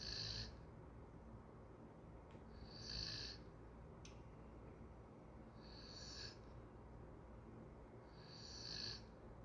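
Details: Snoring golden retriever in sleep: four regular airy whistling breaths roughly every three seconds, with a couple of brief faint clicks between them and quiet room hum underneath.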